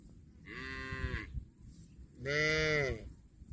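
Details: Cow mooing while eating grass: two drawn-out, even, harmonic moos, each under a second long, the second louder and fuller, with quiet low rumbling between them.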